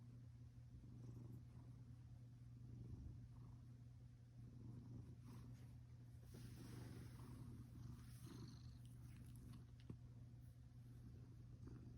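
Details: Pet cat asleep indoors, snoring; its owner notes it sleeps a lot lately, perhaps from age. Soft, low rumbling breaths with faint periodic swells over a steady low hum, a few light clicks higher up.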